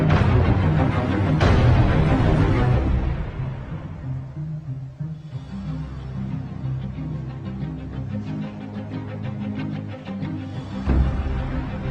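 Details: Dramatic, suspenseful orchestral music with heavy timpani-like drums fills the recording, with no animal sound heard.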